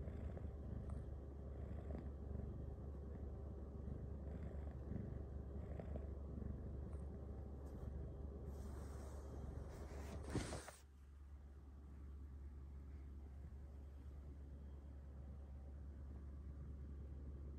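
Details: A female Bengal cat purring while being massaged by her owners at night: a low, steady rumbling purr throughout, with a brief rustle and a soft clunk near the middle, after which the purr continues more quietly.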